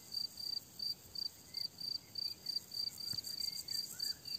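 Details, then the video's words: Crickets chirping on a summer meadow: steady high pulsed chirps repeated about three times a second, with faint distant bird calls in the background. "Tücsök ciripelés"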